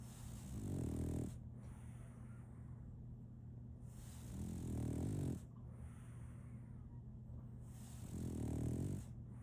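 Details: A female French Bulldog snoring in her sleep, with three slow, throaty, rumbling snores roughly every three and a half seconds and soft breathing between them, over a low steady hum.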